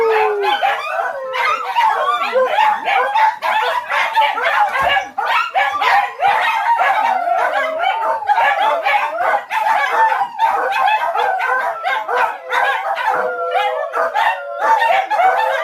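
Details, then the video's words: Dog vocalising in a dense mix of quavering howls and rapid yipping barks, loud and nearly continuous with only short gaps. "The Howling!!!"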